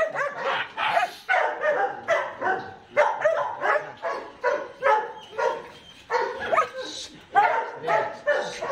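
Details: Ammy the Belgian Malinois, during a microchip implant, barking in a steady run of sharp, raspy barks spaced about every half second, with people talking in the background.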